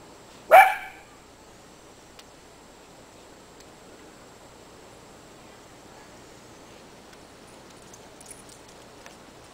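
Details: One of two miniature dachshunds at play in plentiful winter snow gives one abrupt, high bark near the start, followed by several seconds of quiet outdoor background with faint rustling.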